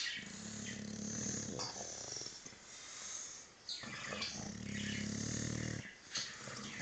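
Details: English Bulldog asleep during a nap, snoring loudly in long, rattling, low-pitched breaths of about two seconds each, separated by short pauses, with faint birdsong behind.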